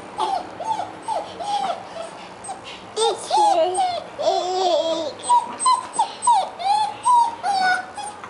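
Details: Two-month-old solid black female German Shepherd puppy, named Trebian, whimpering in high, wavering, squeaky cries repeated rapidly and unevenly throughout, with short yips between them.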